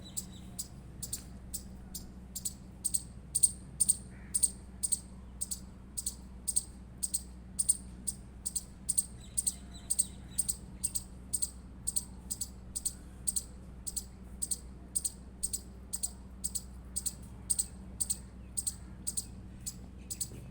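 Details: Indian palm squirrel. An Indian palm squirrel calls with a long run of short, piercing chips at a quick, even pace of roughly two per second. A low steady hum runs underneath.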